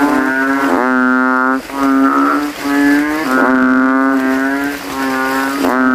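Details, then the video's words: Night chorus of banded bullfrogs after rain, calling from a puddle among graves with inflated throats, each male trying to outdo rivals: deep, continuous mooing drones that overlap and merge, barely pausing. "GENANGAN AIR MENJADI AJANG LOMBA KODOK INI BERTARUNG SUARA KERAS"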